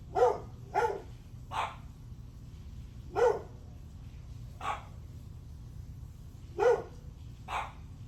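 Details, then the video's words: {'caption': 'Morning barking from a dog, July 9 at 8:38 am. About seven clear, punchy barks ring out at irregular intervals, some paired close together. Low steady background noise runs throughout.'} "Barking dog"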